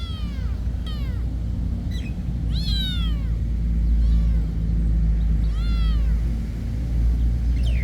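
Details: Cats at a monastery meowing in a series of arched, harmonic-rich cries, some short and some drawn out, several overlapping over about eight seconds above a steady low rumble of background noise.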